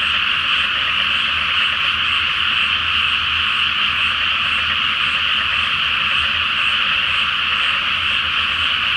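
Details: Frogs chorusing after dark in a paddy flooded ahead of rice planting, beneath a full Flower Moon; a dense, continuous blend of croaks and rattling trills holds steady from start to finish.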